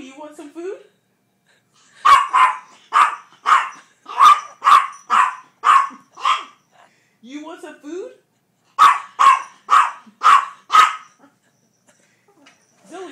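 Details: Four-pound pet dog demanding its food indoors, rapid runs of sharp high-pitched barks, roughly two per second, in two bursts, with a person's voice repeatedly asking if it wants food in between.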